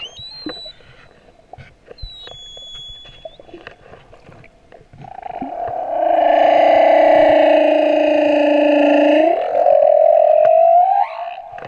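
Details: Male humpback whale song recorded at Moorea: faint high whistles at first, then a loud sustained nasal moan lasting about four seconds, ending in an upward sweep.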